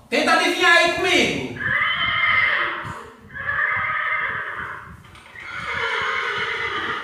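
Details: Horse whinny played in a children's animal sound guessing game: a shaky, wavering neigh with stacked harmonics lasting just over a second, followed by steady harmonic tones.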